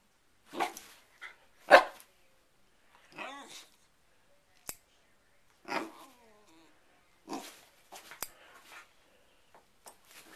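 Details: Pet dog Sherlock reacts to a hair clip being opened and closed with uneven barks and short growly yaps. Crisp clicks of the clip sound between the outbursts.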